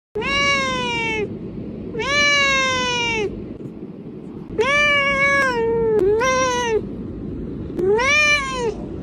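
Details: Two kittens, one sitting on a couch and one watching television, give loud, high, drawn-out meows, each arching up then sliding down, in repeated bursts.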